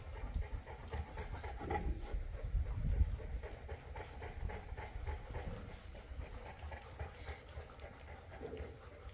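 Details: Boerboel, also called South African or African Mastiff, from the Enzo and Diva pair living in Egypt; low, breathy rhythmic panting at about two breaths per second, rough and uneven, with faint background hiss.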